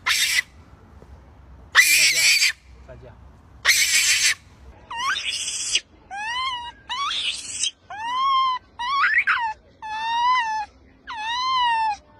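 A monkey gives three harsh, noisy screams, then a string of clear, wavering, wailing calls about once a second.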